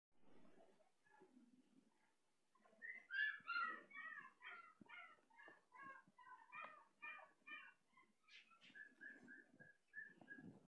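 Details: Male Shih Tzu dog whimpers indoors in a run of high, whiny cries with layered overtones, about three per second, starting loud and sliding into steadier, level whines, with soft shuffling and rustling in a small room.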